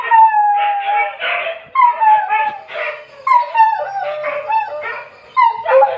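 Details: Dog howling at 2 a.m.: loud wavering howls with sliding pitch, several overlapping voices in a rising and falling chorus, each phrase about one second long, breaking into yips and whines.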